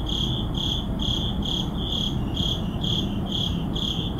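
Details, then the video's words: Urban crickets calling at midnight in a neighborhood: bright, high chirps pulsing evenly about twice per second, with a continuous low hum of distant traffic underneath. "Urban Midnight Crickets"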